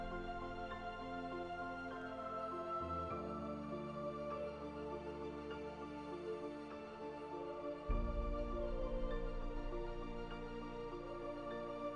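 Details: Soft ambient background music with sustained chords that change near three and eight seconds, and no animal sound.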